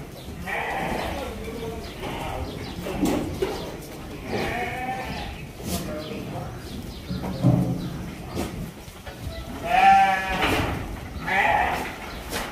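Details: Feeding time for goats at a lodging and boarding farm in Virar, Mumbai; repeated nasal, wavering bleats from several animals across the stretch, with clattering and human voices in the background.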